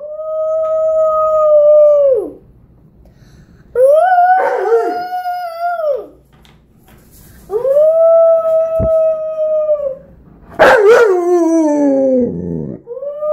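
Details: Indoors, Tonka the Alaskan Malamute answers his four-year-old nephew's howling with long, level, sustained howls ending in a downward slide, repeated roughly every four seconds, plus a rougher wavering howl near the end.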